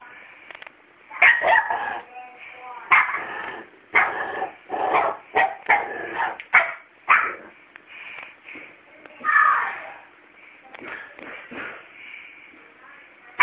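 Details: Pet dog barking repeatedly at a cat that stays unafraid of it. Sharp, harsh barks come in short bursts every second or two, mixed with a person talking and giving commands.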